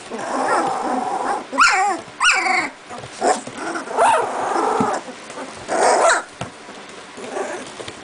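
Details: Young Doberman puppies, two and a half weeks old, at play while waiting for their mother; soft grumbling growls with a few higher squeaky yips and rising whines in brief bursts, separated by quieter gaps.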